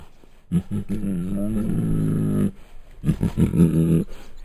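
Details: Bengal tiger recorded at Luján Zoo gives deep, throaty growls. A sustained, harmonic rumble with wavering pitch lasts about two seconds, followed after a pause by a series of short, choppy grunting bursts. A faint steady high hiss runs underneath.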